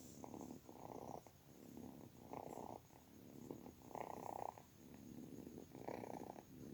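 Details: Kitten's steady purr, rumbling bursts alternating with brief breaths in a regular rhythm, faint background hiss throughout.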